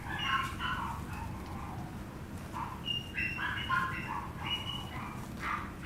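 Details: High-pitched squealing yips from a Chihuahua puppy, short wavering tonal cries repeated almost continuously, some rising, some falling, above a low background drone.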